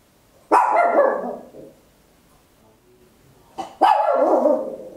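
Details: Home stereo recording, made on an Olympus LS-11, of a tiny Papillon dog letting out two long, very loud, rough barks about three seconds apart, the second preceded by a short catch.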